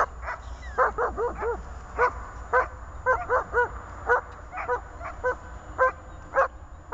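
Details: A German Shepherd named Zhelya, during IPO training, gives a quick series of sharp, ringing barks, some doubled, over a low rumble.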